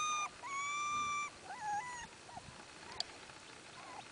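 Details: Miniature Australian Shepherd puppies from one litter whining: a long high whistled whimper with bright harmonics, then shorter rising and falling whines fading into soft faint whimpers.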